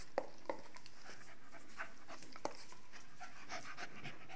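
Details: Staffordshire Bull Terriers Nelly, a 12-month-old female, and Rip, a 7-month-old male, at play: quick irregular panting breaths and scuffling, with a few sharp knocks.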